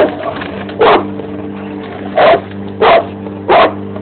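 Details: Four heavy, clipped barks from a Bandog Mastiff that dislikes the lawn mower, spaced under a second apart at the end, over the mower's continuous engine drone.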